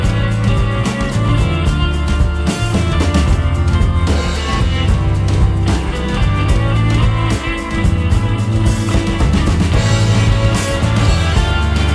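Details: Loud rock music with driving drums, bass and guitar plays throughout, with no animal sounds heard.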